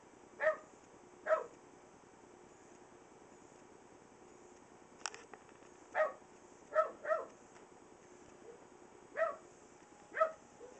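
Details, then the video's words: Chloe, a puppy dog, making woof noises for the first time: short soft barks, eight of them spread over eleven seconds, mostly single with a quick pair near the middle, plus one sharp click. "Chloe the puppy dog making woof noises for the first time..."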